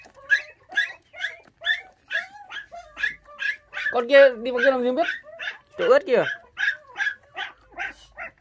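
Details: Bottle-fed puppies, five siblings who lost their mother at six days old, give evenly spaced sharp squeals, broken midway by a longer quavering wail and a falling, drawn-out cry before the squeals resume.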